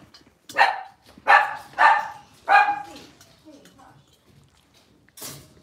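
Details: Six-week-old blenheim Cavalier King Charles Spaniel puppies, a litter of five born on New Year's to Paris and Spike, in an indoor puppy pen; four loud, sharp yipping barks in quick succession, then a quieter pause and a brief noise at the end.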